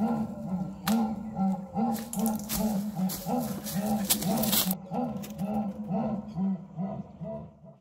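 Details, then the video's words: Jaguar roar rendered as a long sawing run of about a dozen low, arched grunts in quick succession, partly overlaid midway by bursts of crackling, rustling noise, then fading at the end. "O esturro da onça"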